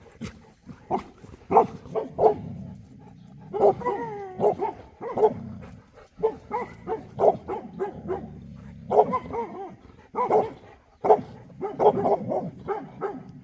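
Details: Boerboel, South African Mastiff, one of a couple kept in Egypt: a series of short barks and yelping whines in irregular bursts, some rising then falling in pitch, with brief pauses between groups.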